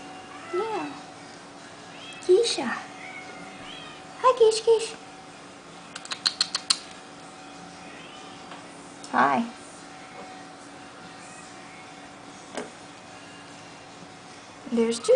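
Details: Sphynx kitten Joshua, kept as a pet, playing with his mother Juicy and sister Keisha indoors; several short arched meows rise and fall, spaced a few seconds apart, with a woman talking gently between them and a few sharp clicks.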